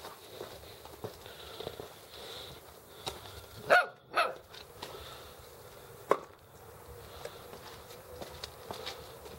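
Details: Alaskan Malamute puppies Astor and Intuicja z Klany Wydry, November 2013, letting out a few short, sharp barks: a close pair near the middle and a single one a little later, against quiet low room noise.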